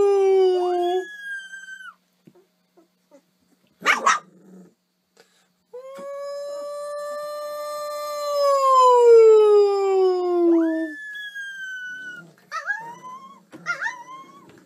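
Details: Dog from a humorous dog compilation: a howl that breaks upward, a sharp knock, a long wavering howl lasting about five seconds, then short rising yips and whines.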